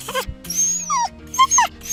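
Short, piercing yelps from a dog come in quick bursts, each a high cry sliding up and down. Such yelps mark sudden pain, surprise or fright, or signal that play has become too rough; quiet music runs underneath.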